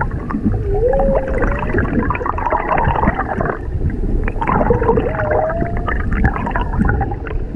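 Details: Humpback whales singing underwater off Maui, with a mother and calf, recorded from a whale-watch boat: two drawn-out moans that waver, then sweep upward, about four seconds apart, over constant gurgling water and boat noise.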